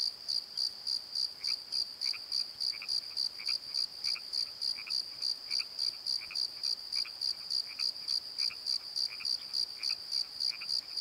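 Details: Crickets calling at night in a valley bottom, a steady high pulsed chirping repeated about three to four times a second, with fainter lower croaking notes from another night caller beneath it.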